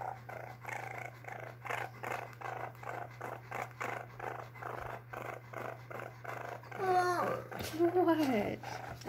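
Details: Koopur, a domesticated baby raccoon in a home, 5/19/2020, keeping up a rapid pulsed purr for several seconds, after which a woman's voice speaks over a faint continuing purr and low hum.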